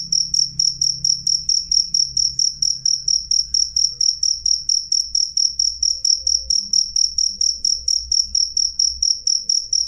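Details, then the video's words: A cricket sings loudly and clearly, giving a long, even series of shrill, high chirps about three per second. A soft low rumble sits in the background. "suara jangkrik jernih keras"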